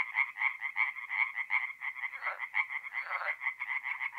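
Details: Night chorus of tree frogs at a forest pond, north-east Italy, mid-April: steady series of rapid, bright croaking pulses, several callers overlapping, with a rougher lower burst partway through.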